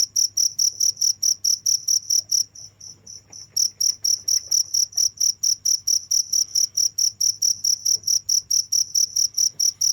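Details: Crickets calling without pause, rhythmic high chirps roughly twice a second, dropping out for about a second near the start before resuming, over a faint low hum.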